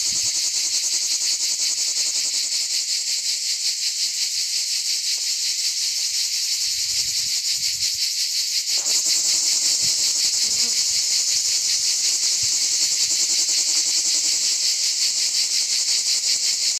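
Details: Plebeian cicadas (Lyristes plebejus) sing on olive trees in an organic olive grove, a loud, steady, high-pitched buzzing chorus that never pauses.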